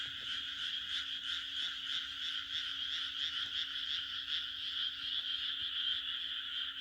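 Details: Chorus of many frogs on a June night in rural Japan, a continuous high, trilling croak with a quick pulsing texture that swells slightly and keeps going throughout, over a faint low electrical-like hum.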